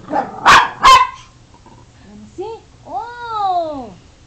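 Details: Dog "talking" indoors: two loud barks, then softer short vocal sounds and a drawn-out, arching, moan-like howl that rises and falls.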